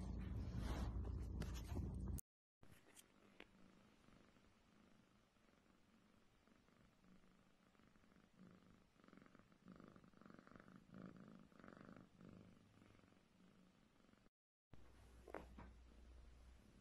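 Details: Selkirk Rex cat purring softly, a steady low rumble repeated about three times a second; brief loud bursts of handling noise and a woman's voice at the start and end.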